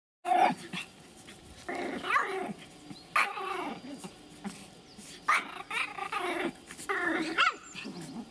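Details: Pomeranian of the Elenhouse kennel, Kyiv, Ukraine, vocalising as it eats: throaty, harmonic growl-barks in separate bursts roughly every one to two seconds, rising and falling in pitch, with a Russian-speaking voice close by.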